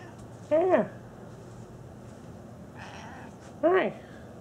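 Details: Cat on a pool table giving two short meows about three seconds apart, each rising then falling in pitch, with a faint room hum in between.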